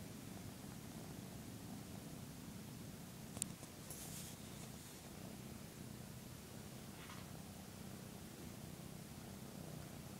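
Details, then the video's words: Taniwha, a 13-week-old male Maine Coon kitten, purrs while licking his owner in a kitty bath. A steady low rumble runs throughout, with a brief click and a soft rustle partway through. "Our new 13 weeks old Maine Coon kitten giving me a kitty bath"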